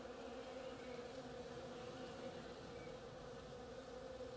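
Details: Bees working on the flowers of an oriental creeper: a steady, low droning hum that holds an even pitch throughout, with no breaks and no other clear sounds.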